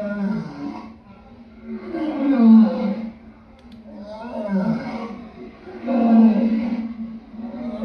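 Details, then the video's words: Lion roars, deep and rasping, in three long swelling bursts about two seconds apart, each building in strength and then fading. "Lion sounds"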